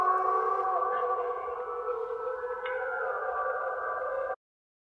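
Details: Wolves (Canis lupus), critically endangered in Norway with about 45 breeding individuals estimated in 2021, howl together in long, steady, overlapping tones that hold and waver gently.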